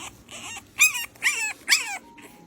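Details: Tiny rescued French Bulldog puppy, only days old and abandoned by a breeder, crying on a grumpy day: three loud, high, wavering whiny cries in quick succession, each bending down in pitch, then a softer fourth whimper.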